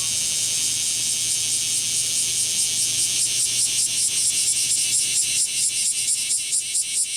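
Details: Singing male kumazemi cicadas in a lively midsummer chorus, Fukuoka City, Japan, 11 July 2022, courtship behaviour; a continuous shrill high drone gradually breaks into rapid rhythmic buzzing pulses, about two per second.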